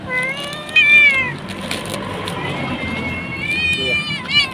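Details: Nursing mother cat with three kittens in an Indonesian market area, seemingly waiting for someone who abandoned her; two drawn-out plaintive meows, one near the start and one near the end, with street background noise and brief speech.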